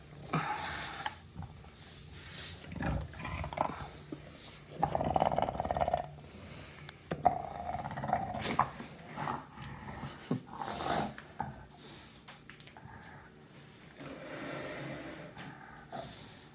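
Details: A British Bulldog snoring: rough, low rasping breaths in uneven bursts with pauses between, a few louder snorts standing out; a person speaks briefly nearby.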